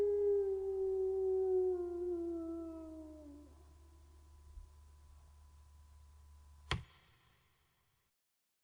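A wolf gives a single long, smooth howl that slowly slides downward in pitch before fading out.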